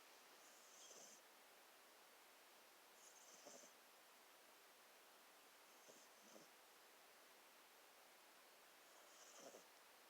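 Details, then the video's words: Pet cat, male, snoring while asleep and dreaming, twitching in his sleep, keeping his owner up at night; soft breathy snores with a faint hiss, about every three seconds, four breaths over a steady background hiss. "my cat snores and keeps me up at night"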